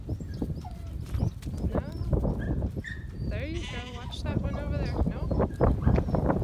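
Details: Several goats bleat, with tremulous, vibrato cries overlapping midway, while a six-month-old stockdog herds them; shuffling hooves and human speech fill the background.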